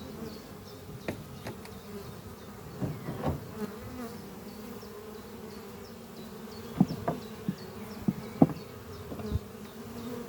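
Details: Many western honey bees (Apis mellifera) fly at a horizontal hive under trees on a spring morning, bringing in pollen, in a steady, low droning hum with faint bird chirps far behind.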